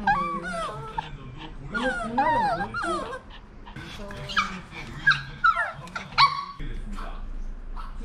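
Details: Maltese dogs, a male, a female and their daughter, kept indoors during a heatwave; high, wavering whines that rise and fall in quick bursts, some sharp yelps near the end, with human speech alongside.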